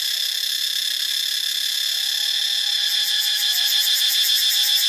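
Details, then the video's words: Intense metallic cicada buzzing from Ubon Ratchathani, Thailand. The high whine is continuous, and a rapid pulsing beat grows stronger in the second half. "เสียงจักจั่น (Cicadidae)"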